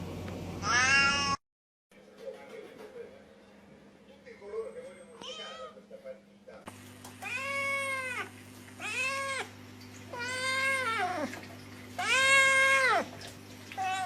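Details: Angry domestic cat: one loud yowl, a quiet stretch with faint murmuring, then a series of arched, rising-and-falling meows repeated roughly every second and a half over a low hum.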